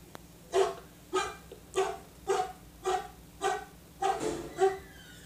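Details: Dog said to bark like a pitbull, giving eight short harmonic barks spaced roughly every half second, each punchy and mid-pitched, with a faint steady hum underneath.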